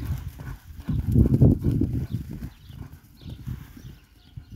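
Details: Hooves of a Kabardian stallion raised at the Atazhukino farm give quick, muffled low thumps over a few seconds. The loudest knock comes early and softer, irregular steps follow.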